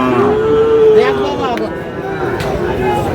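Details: At Aftabganj cattle market in Dinajpur, Bangladesh, where Sahiwal bull calves are traded on 30 June, one sustained moo fills the first second, followed by crowd noise and men's bargaining voices.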